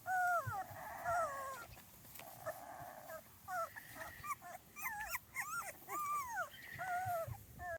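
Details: Litter of 2.5-week-old Small Munsterlander puppies on their first outing, producing thin high squeals and bent whimpers, some quick and choppy, over a soft background hiss.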